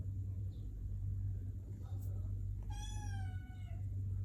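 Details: Sphynx kitten relaxing indoors gives a single meow, a drawn-out, slightly falling cry with many harmonics lasting about a second, over a steady low electrical hum.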